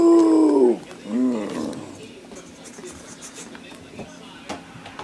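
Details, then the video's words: Ten-week-old Beagle puppy playing fetch indoors gives a short, tonal, wavering howl that falls away, then a second brief yelp about a second later. Faint clicks and handling noises follow in a quiet room. "Beagle Puppy Rage"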